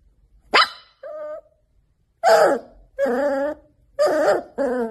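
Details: Labrador Retriever. A young Labrador Retriever barks in short, high-pitched yaps, each with a rough, slightly wavering tone. A thin whine slips in between the first barks, and the later ones come in a loose series about a second apart.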